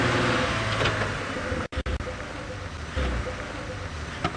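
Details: A vehicle engine rumbles with brief signal dropouts, and no animal calls are heard.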